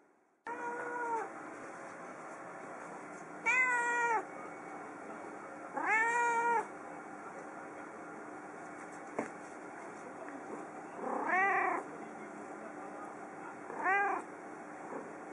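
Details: Pet cat Yukke meowing while sitting on a computer desk in a living room, calling out after being left alone briefly while food was prepared in the kitchen; five drawn-out, arching meows spaced several seconds apart, quiet indoor hum between.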